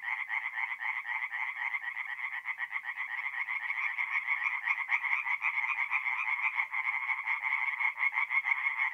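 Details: Tree frogs in full song at a nocturnal forest pond in north-east Italy during April, a dense, harsh, rapidly pulsing chorus of many overlapping voices without pause.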